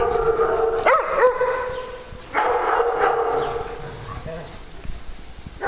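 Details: A farm dog at playtime gives a steady high whining howl with a few quick upward yelps near the start, then a second drawn-out wail, while a person calls the dogs by name.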